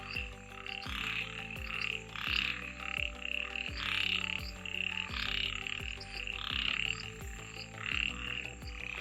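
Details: A dense night chorus of frogs on a herping trail near Mollem National Park in the Western Ghats of Goa: many high, rapidly pulsed notes swelling and fading in overlapping waves, with a faint low tonal hum, likely music, underneath.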